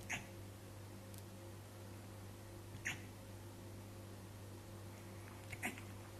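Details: Hiccuping Siberian Husky, giving three brief, abrupt hiccups spaced roughly 2.7 seconds apart, each a quick bright snap, with a constant low hum beneath.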